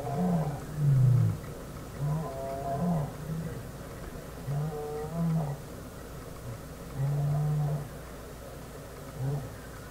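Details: African lion roaring in Kruger National Park, South Africa, after a rare white lion joins the pride on the road: a series of deep, moaning grunts, roughly one a second, starting loud and trailing off, over a low rumbling background.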